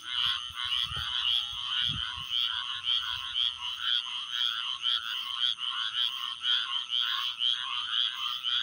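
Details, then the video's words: Steady chorus of chirping frogs, dense high buzzy pulses merging into a near-continuous trill at about two per second, with a couple of low thumps early on. "chirping frogs"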